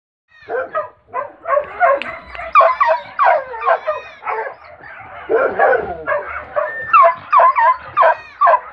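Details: A Beagle-Foxhound cross in the bush, hungry, giving a steady run of high whining yelps and bays, rising and falling, roughly two or three per second, with no other clear sounds.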